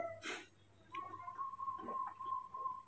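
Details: Baby monkey Mobi, spoiled and wanting to be hugged after waking in the morning, gives a thin, steady whining tone held for about two seconds with slight wavers, after a brief rustle; a low hum runs underneath indoors.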